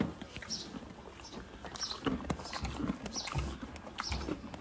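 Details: Horses chew apple-flavoured, low-sugar treats noisily, with crisp crunches and wet grinding in an uneven rhythm, soft snorting breaths and a little background speech between bites.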